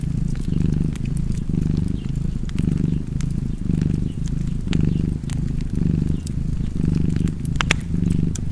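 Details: Relaxed house cat purring near a fireplace, continuous low vibrating drone swelling and easing with each breath, close to one cycle a second, while fire pops and crackles sound intermittently.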